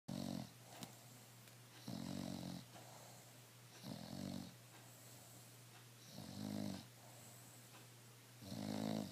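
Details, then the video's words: Emma, a pet bulldog, snoring while relaxed and free of stress indoors: deep, rumbling snore bursts with buzzy overtones, coming about every two seconds, with quieter breathing between them over a steady low hum. "Emma mi bulldog roncando y sin estress"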